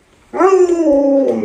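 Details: Alaskan Malamute named Lolo, a pet dog, annoyed and protesting as its owner pretends to cook a dog-meat hotpot indoors; a single drawn-out, tonal woo that wavers slightly, then holds steady and slowly falls in pitch.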